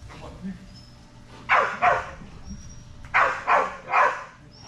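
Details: During Fetch-It dock diving practice on 10.25.22, the Belgian Malinois Strider lets out two quick barks, then a tighter group of three. Faint voices sit in the background.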